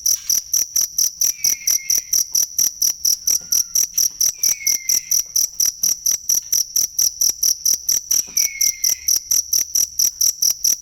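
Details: Cricket call meant for tutoring cage songbirds: a rapid, regular train of shrill pulses, roughly four each second, with occasional faint descending whistles behind it.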